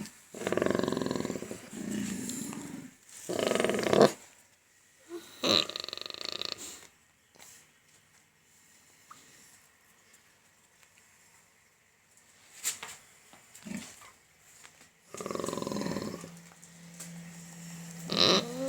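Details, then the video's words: Pig making noises while having its teeth checked: loud harsh grunting squeals in bursts at the start and near fifteen seconds, with quieter snorts between and people talking softly. "Cute Pig 🐷 noises while having teeth checked"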